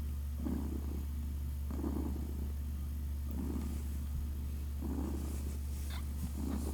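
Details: Kittens Naoki and Kit, six days old, purring as they drink, with five regular rumbling pulses over a deep continuous drone and a soft rustle near the end.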